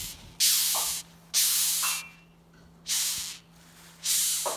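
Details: Rhinoceros beetles in a kitchen, disturbed, give loud airy hisses: four rough, breathy bursts about a second long, spaced roughly every one to one and a half seconds, with quiet gaps and a faint steady hum.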